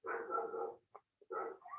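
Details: Female domestic dog barking loudly, probably at a coyote nearby, heard indoors behind a man talking: two long, hoarse, harmonic barks, each about 0.7 seconds, with a short pause and faint clicks between them.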